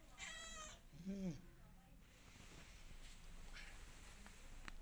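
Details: Mother cat trying to escape from her new house, missing her old one; a short harmonic meow followed by a lower, brief bending cry, with a steady low hum underneath.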